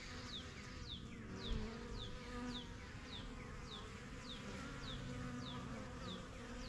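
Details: Honey bees from a strong yellow backyard hive, first kept in spring 2023, fly in and out, making a steady low droning hum. A bird adds short descending chirps about twice a second over the buzz.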